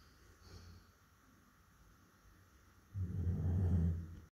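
A Labrador Retriever snores with a deep, rumbling, low-pitched breath.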